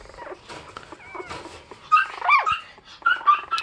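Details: Fifteen-day-old Bichon Frise puppies whimper: soft whining at first, then several short, squeaky, high-pitched cries in the second half.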